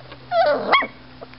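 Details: Seven-week-old miniature schnauzer puppies; one gives a single short, high, tonal whining yip lasting about half a second, first sliding down then jumping up and breaking off, with a faint steady hum and quiet room behind.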